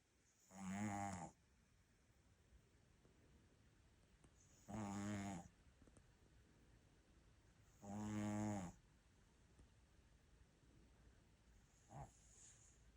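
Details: Sleeping pet dog named Ttuttu snoring indoors: three loud, rasping, harmonic snores spaced about every three to four seconds, then a short faint snort near the end, with quiet breathing between.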